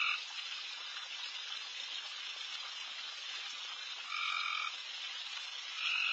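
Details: Late-night backyard frog chorus around feeding deer: dense steady hiss-like calling, with a single clear raspy trill of about half a second near the end and others clipped at the edges.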